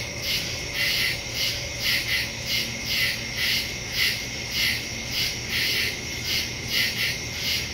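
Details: Woodland crickets at night, recorded September 2, 2023 on a Samsung Galaxy S22 Ultra fitted with a Shure MV88+ stereo mic; bright, high chirps swelling in steady rhythmic waves, a faint thin tone and low hum underneath.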